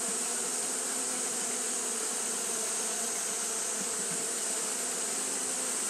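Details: Japanese honey bees keep up their fanning on a hot day, making a dense, continuous buzzing drone with a strong high-pitched hiss above it and no pauses.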